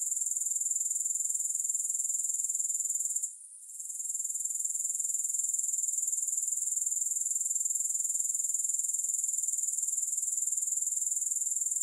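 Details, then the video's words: Grasshoppers calling with no music, a steady piercing high trill of quick pulses that dips briefly near three and a half seconds, then carries on unchanged. "3 Hours of Grass Hopper Sounds"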